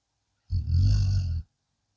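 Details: One long, harsh snore of about a second from a blue Akita Inu fast asleep, a low vibrating growl-like breath that holds steady before stopping abruptly.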